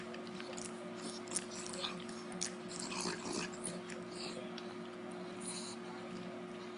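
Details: Parker, a female Beagle, devouring a dog treat indoors with lip-smacking gusto: irregular wet smacks and sharp crunchy clicks scattered across several seconds, over a steady low electrical hum in a small room.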